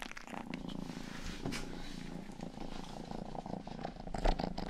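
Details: Close to a binaural 3Dio microphone, the domestic cat Rang-i, the family's youngest, purrs in a soft continuous low drone with faint licking rustles and a few louder taps toward the end.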